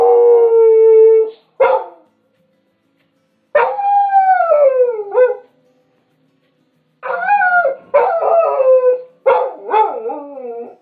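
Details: Loud dog howls, one of five in a set: a held note, then repeated short downward-sliding howls and yelping bursts coming in quick succession toward the end.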